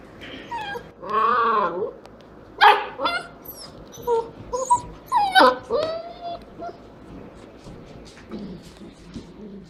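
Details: Standard Poodle puppies six to seven weeks old, filmed in November, playing: high whimpers and yips with rising and falling pitch, several short bursts spaced a second or so apart, a person's voice faintly behind them.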